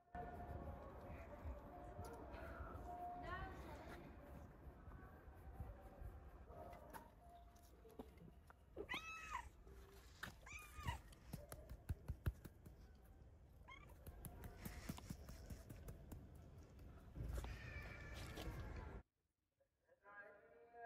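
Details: A male stray cat, rescued from the streets, gives a few brief, sharp meows scattered between human talking and handling noises. The recording cuts to near silence at the end.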